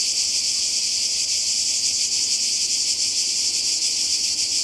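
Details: Cicadas in chorus by the sea in Croatia during a summer 2020 holiday: a dense, unbroken high buzzing hiss that holds steady at one loudness throughout, with a faint shimmering pulse and nothing else clearly audible.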